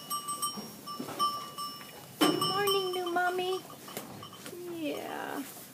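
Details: Goat giving a wavering, mid-pitched bleat lasting over a second, then a shorter quavering bleat near the end, with people talking and background noise throughout.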